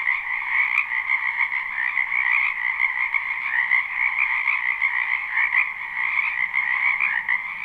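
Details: Croaking frogs crowd a spring wetland in this live unlooped recording: overlapping rapid trills merge into one steady, shimmering chorus, with a brief click early and a faint low hum beneath.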